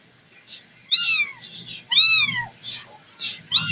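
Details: Setty, a domestic cat, gives a short run of arched, falling meows with bright stacked harmonics, two strong calls about a second apart and softer mews between, in a quiet room.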